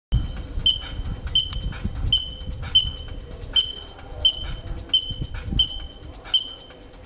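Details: A squirrel, called "ardilla lobo", at Metepec, Atlixco, gives sharp, high chirps repeated steadily, a bit faster than once a second.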